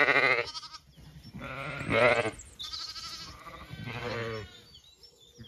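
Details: Lambs on a Kilkenny farm in Ireland, old enough to wander slightly from their mothers as the ewes eat breakfast. A sequence of tremulous bleats at varied pitches follows one another about every second or two.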